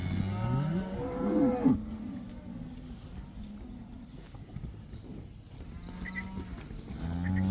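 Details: Herd of black cows heading back into a Dutch pasture, the 'cow dance': a strong, wavering moo opens, then quieter background lowing and a faint later call over a low rumbling outdoor background.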